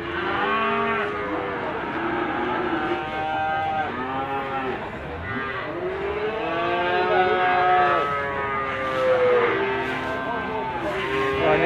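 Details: A crowd of young Limousin cattle at Gondanglegi animal market in Malang, East Java, on 12 February 2020, bellows almost continuously: long, wavering, layered moos of varied pitch, with market chatter in the background.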